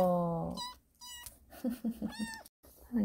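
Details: Sarang, a pet kitten, gives short, thin, high meows in quick succession, each a clear tonal cry with bright overtones. Human voices murmur in between, and a lower, steady voiced tone opens the clip.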